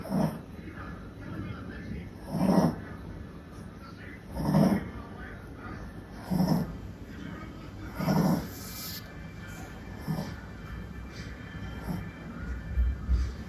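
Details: Mili, a male cream Pomeranian × Yorkshire Terrier mix born in Japan, snoring loudly while asleep: low rasping snores repeated about every two seconds, each swelling and fading, with faint room noise between.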